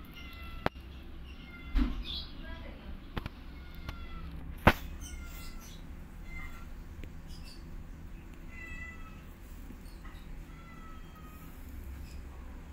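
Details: Several high, thin kitten mews, each short and falling slightly, come at uneven intervals while a mother cat teaches her kittens to walk; a few sharp knocks and thuds interrupt near the start.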